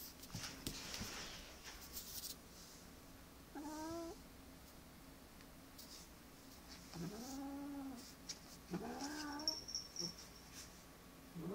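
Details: Agitated domestic cat indoors giving three drawn-out, wavering harmonic meows spaced a few seconds apart, each rising then falling, with quiet pauses and faint rustling between them.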